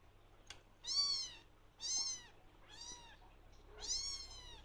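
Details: Blue lynx Ragdoll kitten, indoors, calling for attention from its owner: four high, clear meows, each rising then falling, about one per second, with quiet pauses between.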